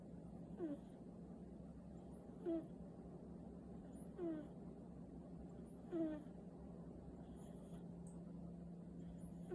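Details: Sleeping cat snoring softly, each breath a short falling wheezy tone repeated roughly every one and three-quarter seconds, over a steady low hum in a quiet room.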